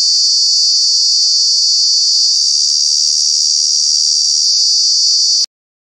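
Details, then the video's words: Cicada in Kanha National Park giving its loud summer buzz, a constant high shrill tone that cuts off abruptly into silence near the end. "Cicada, Cicadas are true bug with very loud sounds"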